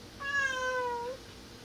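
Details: Cat that wants to go up toward the window but is scared, crying out for its owner: a loud, steady, nearly flat meow about one second long, dipping slightly at the end, strongly harmonic, with a quiet room behind it.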